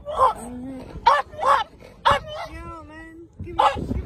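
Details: A French Bulldog gives short, sharp barks at other dogs at the Brightlingsea music festival in August 2021, while people talk nearby.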